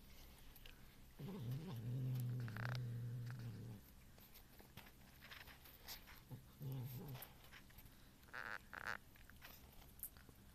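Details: Domestic cat named Ronan growling while trying to eat a piece of cheese, aimed at another cat, Muff; two low, rumbling growls, a long one of about two and a half seconds then a shorter one, in a quiet indoor room.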